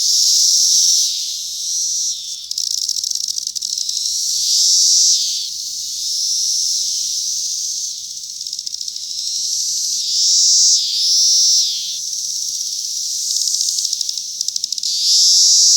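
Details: A 2021 chorus of cicadas on a cherry tree: a loud continuous high hissing buzz that swells and fades in long waves every few seconds, with no other clear sounds.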